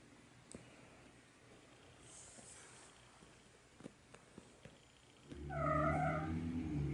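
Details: A cat gives one drawn-out, harmonic, bark-like call lasting just over a second, after quiet room noise with a few soft knocks.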